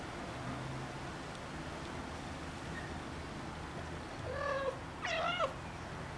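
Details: Ocicat kittens at three weeks old giving two brief, thin meows near the end, the second bending upward then down, over a low steady hum.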